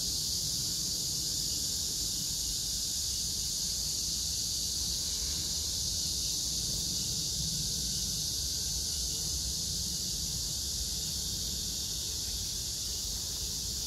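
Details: Summer cicada chorus, recorded 9 August 2024 in Hwarang Park, Choji-dong, Danwon-gu, Gyeonggi Province, near the Gyeonggi Museum of Art where crape myrtle blooms pink; an unbroken shrill, even buzzing wall of sound, grass insects mixed in, soft background rumble.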